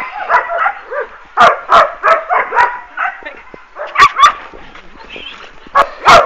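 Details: Working-line German Shepherd pups from Boris Solidblack and Tisia de la Senda bark and yip in uneven clusters. Some calls are sharp and loud, and softer whines fill the gaps.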